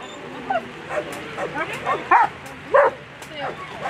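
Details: Agility-competing German Shepherd at a world championship, where Elyssee v alten Gatter finished seventh in the final; short barks repeat about every half second, the loudest near the end, with arena voices and murmur underneath.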